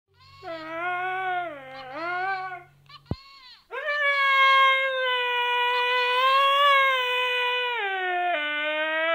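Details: Siberian Husky singing in response to the Pillsbury Doughboy; drawn-out wavering howls, first dipping then a long steady sustained note ending slightly lower, with a brief electronic hum at the start.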